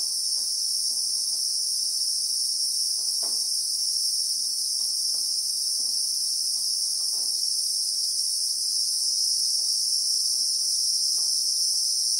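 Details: Christmas beetle (Anoplognathus) droning in South African acacia bushveld, heard in real time: a piercing, steady high-pitched buzz runs without break, while quiet irregular taps and ticks come and go beneath it.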